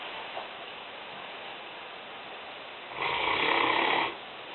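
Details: Asleep in the kitchen, Lena the Newfoundland (female, 5 years old, 150 pounds) lets out a single rough, rasping snore of about one second after a stretch of quiet indoor background.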